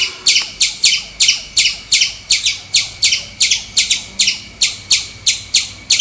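A squirrel gives sharp, high chirps repeated quickly and steadily, almost three each second.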